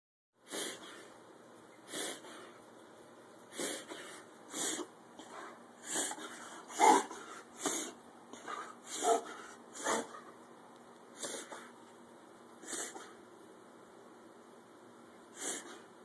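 A pit bull gives a series of short, breathy snorts and wheezy sneezes, each a quick noisy burst. The bursts come at uneven intervals, some louder and rougher than others.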